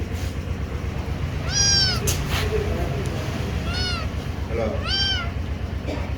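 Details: Several kittens giving short arched mews, three clear calls spaced roughly a second or more apart, each briefly rising then dropping, over a constant low hum with faint background voices.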